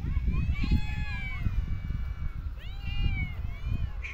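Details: Street cats in a park being fed: drawn-out, wavering meows from more than one cat, some rising then falling, over heavy low rumble of traffic or wind.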